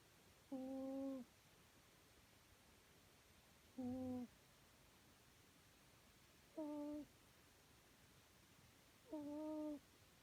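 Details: A cat named Aurora asleep on a sofa, snoring softly: four short, humming, whistle-like tones on the breath, each under a second and steady in pitch with faint overtones, spaced about three seconds apart in a quiet room.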